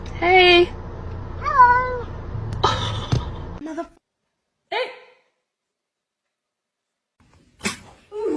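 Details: Domestic cat meowing indoors: a few short, bent, rising-then-falling meows spaced over several seconds with silent gaps between them, interrupted by brief human voices and clatter.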